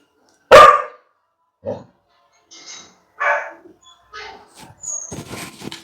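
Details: Labrador Retriever at home reacting to a played gate-opening sound as if someone had arrived, giving one loud sharp bark followed by a few softer woofs and short yips, with a person speaking Tamil nearby.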